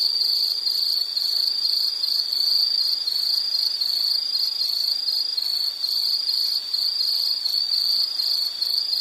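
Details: Continuous high-pitched insect call, a bright buzzing tone broken into regular short pulses about twice a second, unchanging in pitch and loudness throughout, over a soft hiss with no other creatures audible.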